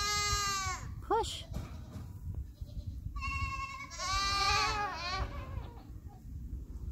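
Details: Mini Nubian goat doe in labor on a North Carolina farm, resting between contractions while delivering the first of triplets; loud wavering bleats with falling and arched tones, a long pause, then two more drawn-out bleats.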